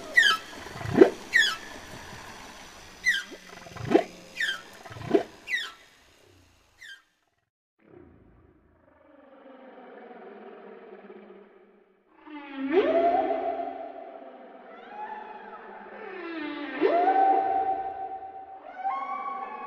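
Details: Humpback whale song from the album Songs of the Humpback Whale; a run of quick sweeping whoops and squeaks, a near-silent pause, then two drawn-out, rising, groaning moans with rough harmonic texture.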